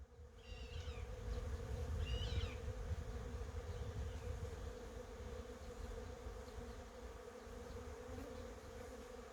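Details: Honey bees buzzing among cherry blossoms, a steady, even hum running throughout, with low rumbling noise underneath and a few short, bright bird chirps in the first three seconds.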